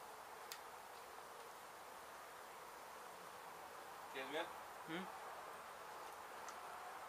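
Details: Honey bees at a hive hit by demolition crews in an abandoned Mission, Texas home, during their relocation: constant massed buzzing drone, a brief snatch of human voice near the fifth second and an isolated click early on.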